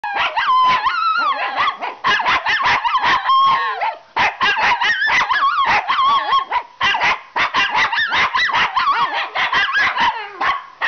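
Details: A female Shih Tzu "singing", howling in quick, wavering yelps and yips broken into rapid high bursts.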